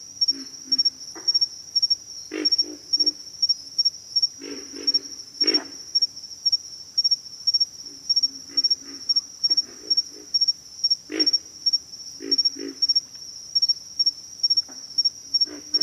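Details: Pig frogs give hoarse, pig-like grunts in scattered groups, with a few sharper, louder croaks between pauses. A steady high insect buzz continues throughout.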